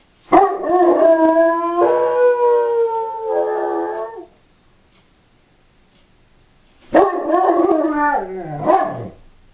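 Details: Female Doberman left home alone, howling in two long harmonic bouts: the first about four seconds, wavering then falling, followed by silence and a shorter wavering howl ending in descending whines.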